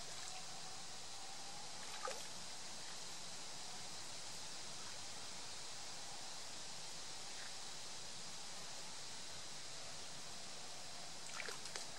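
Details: Steady rush of running water from a stream fills the recording, with a few faint clicks and no clear animal call.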